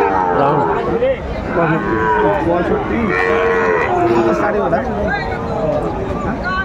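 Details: Sahiwal bull at a livestock market on 16 April 2024, where traders buy bulls to resell. Voiced lowing with wavering harmonics rises over the busy market, mixed with bargaining speech and crowd chatter throughout.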